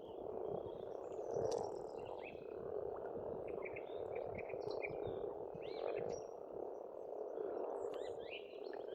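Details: Croaking frogs fill a spring pond in rural Estonia with a continuous dense chorus, slightly swelling and fading, as birds add brief chirps and whistles overhead.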